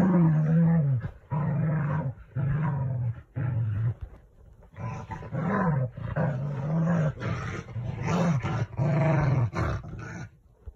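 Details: Corgi; growl; showing disapproval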